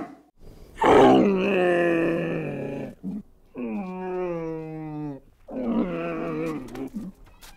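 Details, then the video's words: Camel bellowing in three drawn-out, deep groaning bursts, each lasting one to two seconds with short pauses between. The first is loudest and roughest, the second slides gradually downward in pitch, and the third is a throaty moan. "Camel bellow sound"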